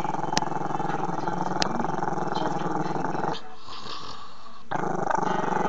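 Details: Long, throaty growl from Chester, a Maltese-Shih Tzu puppy who dislikes being filmed; a low, rapidly pulsing rumble drops away briefly mid-clip and then resumes, with faint background voices.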